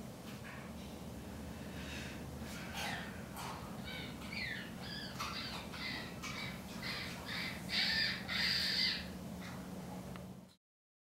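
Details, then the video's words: Annie, a rescued chimpanzee at Chimpanzee Sanctuary Northwest in Cle Elum, Washington, makes her habitual bird noises while relaxing: rapid runs of short, squeaky, high chirps, several per second, growing louder toward the end over a steady low hum. "Chimpanzee makes bird noises"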